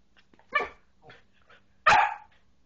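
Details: Australian Shepherd puppy barking indoors: a short soft yip followed by a louder, sharper bark, with faint quieter sounds between.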